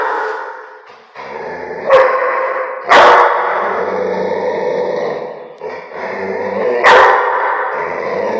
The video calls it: Rottweiler (Swabia,Darel) Barking Sound Effect!! :)